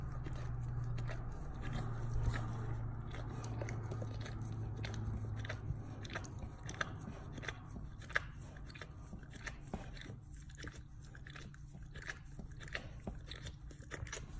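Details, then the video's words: Male dog chewing and licking his bunghole with gusto indoors: dense, rapid wet crunches and bites, about three per second and unevenly spaced, over a low steady hum. "Dog Chewing and Licking his Bunghole ASMR sounds"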